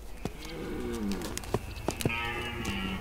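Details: In Belarus in autumn, during the rut of tournament fights and courtship, a red deer gives two deep, moaning bellows that sag in pitch, broken by sharp knocks and clicks, with a faint high whine behind.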